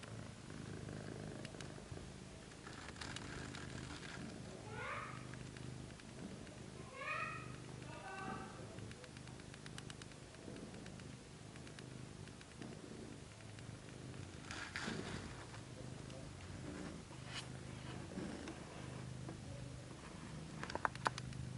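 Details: Purring from an Abyssinian mother and her second-litter kittens as they nurse, a low constant rumble joined by several short high kitten mews early on, with occasional rustling and clicks.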